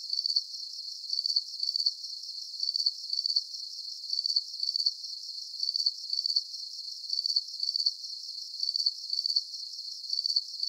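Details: Crickets chirping in a soothing sleep soundscape: thin, very high pulsed chirps in regular short bursts, roughly two each second, an unbroken even rhythm with a faint hiss beneath and nothing else.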